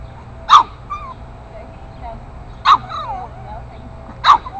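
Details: Eight-week-old Boston Terrier puppy confronting bigger neighbourhood dogs: three sharp, high yapping barks spaced about two seconds apart, with faint background noise between them.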